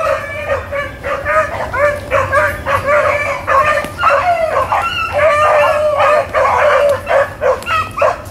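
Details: Hounds running rabbits, recorded April 4, 2013: a pack bays in rapid, overlapping bawling notes, about two per second, some drawn out and wavering, over a steady low background hum.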